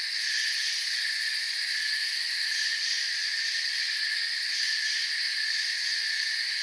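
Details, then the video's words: Steady shrill trilling of many crickets in a forest, a thick high buzzing wall of sound with slight wavering, no pauses, no birds or voices. "Forest Sounds and Crickets"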